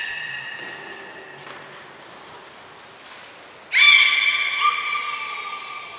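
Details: Captive belugas Nana, Niko and Mirai training at Port of Nagoya Public Aquarium, 23 February 2023. Soft steady tones open the recording, then a sudden loud, rich, buzzy call with stacked harmonics rises sharply. A thin high tone sounds above it.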